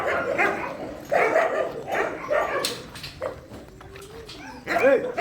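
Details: At night feeding time in a shelter, dogs bark in clustered bursts, and a rising whine sounds near the end.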